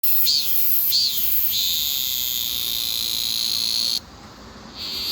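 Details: Cicada cry: a steady, shrill, high-pitched drone with two short rising swells near the start. It drops away sharply after about four seconds, then returns.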